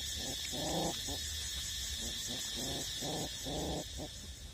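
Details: Eight-week-old puppies still nursing from their mother, with short harmonic grunting, growl-like bursts, about six in under five seconds, set against a steady high-pitched background hiss.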